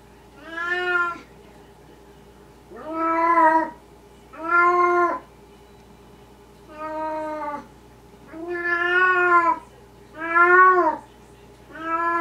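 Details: A Maine Coon cat, recorded in the middle of the night, gives a run of drawn-out, rising-and-falling meows, one every second or two.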